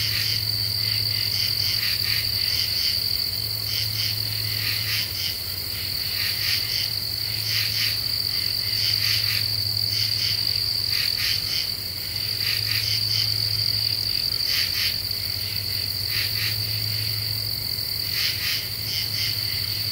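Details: Common true katydids singing at night under a half moon in deciduous forest of the Ozarks, Eastern U.S., July 2013: raspy pulsed bursts in clusters of two or three, repeated steadily, over a continuous high insect whine and a low hum.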